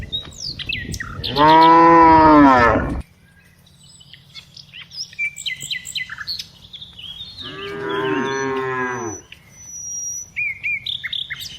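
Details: Two separate moos roughly five seconds apart from tame cows herded each afternoon, with scattered bird chirps and a faint low hum filling the pause.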